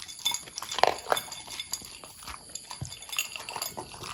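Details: Long-haired Corgi named Pudding eating from its bowl: quick, irregular dry crunches and clicks of chewed food, several per second, with a few louder bites near the start.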